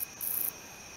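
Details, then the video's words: Male wingless meadow katydid (Odontoxiphidium apterum) calling: a short high buzzy burst, then a longer sustained buzz of about a third of a second, with a faint steady hum underneath. "O. apterum calling"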